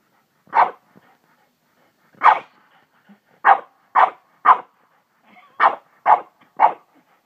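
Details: Dog named Hana barking excitedly, said to have gone crazy; short sharp barks in uneven bursts, eight barks over about seven seconds with gaps between groups, no other sounds.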